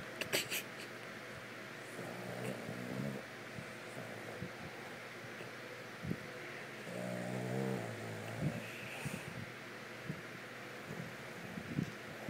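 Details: A Boston Terrier snores while sleeping in low, rumbling, rattling breaths that swell and fade.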